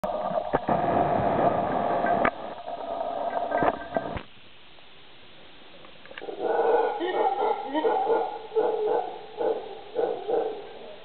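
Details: Howler monkeys in late afternoon in Uvita, Costa Rica, May 2010, roar in deep, rasping bursts that rise and fall in rough, repeated waves.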